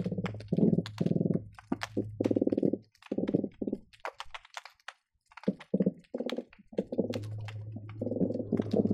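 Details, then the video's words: Hydrophone recording beneath the Marina Drive bridge linking Long Beach and Seal Beach, busy day for croakers: loud grunting pulse trains of a second or so, repeated with brief gaps, a droning low tone and crisp popping clicks throughout. "Underwater fish sounds recorded with hydrophones - Seal Beach croaker sounds"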